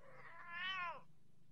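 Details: Persian cat giving a single drawn-out meow, rising then falling over about a second, with a steady low hum behind.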